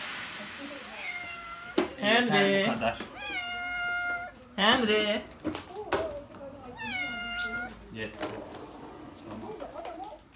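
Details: A pet cat meowing while its fur is combed with a vacuum cleaner, said to be happy about it; four drawn-out, tonal meows with rising and falling pitch, with a person speaking between them indoors.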